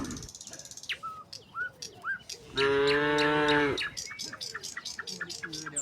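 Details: Cattle, part of a tame herd walking out of the barn to open green pasture, give one loud, full, harmonic moo of about a second, surrounded by busy, repeated chirping of small birds.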